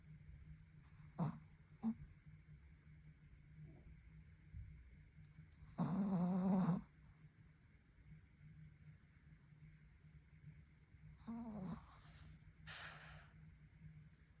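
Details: Pekingese-Chihuahua mix puppy asleep indoors, snoring more frequently lately; a few faint short snuffles, then one louder rasping snore midway and a softer one later, with long quiet gaps and faint room hum.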